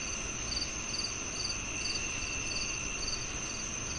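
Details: Rapid cricket chirping: crisp high pulses about two per second, slightly irregular, layered over a sustained insect whine and even hiss.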